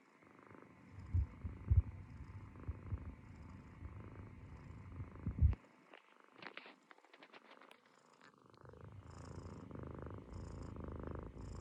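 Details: Munchkin kitten snoring while asleep on its owner's stomach: a low, rough rumble of breaths for about five seconds, a short pause with faint rustling, then the soft rumbling snore resumes steadily to the end.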